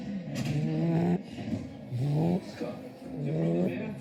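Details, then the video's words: Puppy asleep, giving nasal, humming snores that slide upward in pitch, three breaths within a few seconds, each separated by a short quiet gap. "Puppy snoring"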